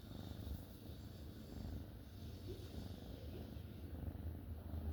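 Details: Sleeping black kitten, sprawled out relaxed and knocked out, purring and snoring gently: a soft, steady low rumble running continuously throughout with no other clear sounds.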